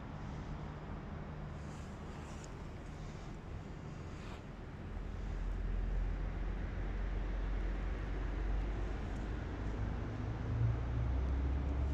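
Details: Low rumbling traffic and vehicle noise in an urban industrial area at night, with no animal voice heard.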